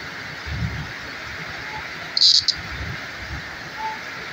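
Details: Green cicada. A green cicada gives a continuous, high, hissing buzz that holds steady without pause. A short, louder rasping burst cuts in near the middle, over faint low rumbles in the background.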